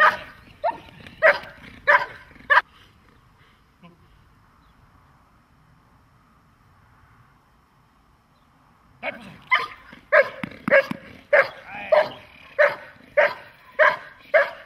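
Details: Dog barking in protection training: a quick series of loud, sharp barks, then several seconds of near silence, then another fast run of regular, harmonically rich barks about once per second. A handler gives commands in Slovak.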